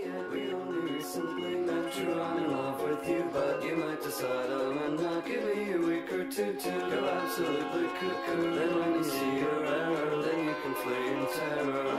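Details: Bright strummed ukulele music with singing plays throughout, with rhythmic percussive accents and no animal voices.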